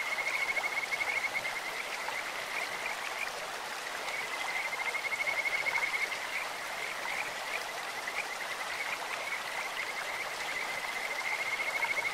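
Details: Kajika frogs singing at a clear stream, giving repeated long bouts of rapid high trilling on a single pitch. Each bout lasts a few seconds with brief gaps between, set against rushing water.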